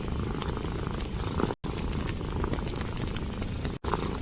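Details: Cat lying curled by a warm fireplace in a winter hut, purring rhythmically in utter contentment; low continuous rumble mixed with fire crackles, interrupted by two short silent gaps.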